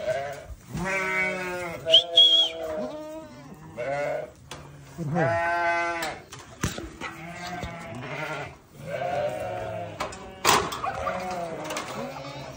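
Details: Newborn baby sheep calling in a run of bleats, some short and clipped, others drawn out and quavering, separated by brief pauses, with a few sharp clicks between them.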